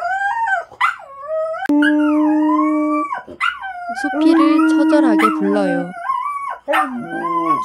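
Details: An intact young male dog gives long, sliding howls that rise and fall with a whining, almost vocal quality, broken by short yelps, desperately calling for a female in heat kept separated from him.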